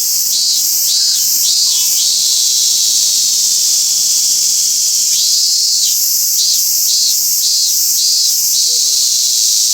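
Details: Robust cicada at Toyanogata Park, thought more numerous this year: steady shrill buzzing drone with bursts of rhythmic pulsing phrases at the start and end, a faint bird note in between.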